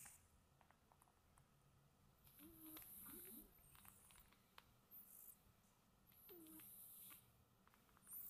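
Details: Sleeping cat snoring softly, two breath cycles about four seconds apart, each a breathy hiss with a low wavering snore tone, quiet between breaths.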